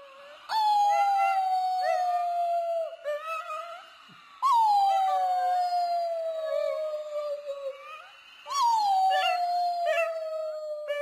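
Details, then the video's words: Domestic dog howling in a funny compilation: three long, drawn-out howls, each sliding gently downward in pitch and repeating about every four seconds, with a brief wavering break between them. "Funny Dogs Howling"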